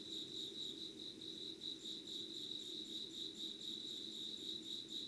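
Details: Insect chorus at dawn, 05:00 on 25 August 2019, in unedited natural sound. A continuous high pulsed trill beats evenly, with a faint low droning hum in the background.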